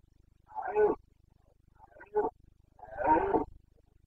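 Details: Red deer stag of the Carpathians roaring in the autumn rut in Bucovina, Romania: two hoarse, guttural bellows framing a shorter grunt, each under a second, in still surroundings.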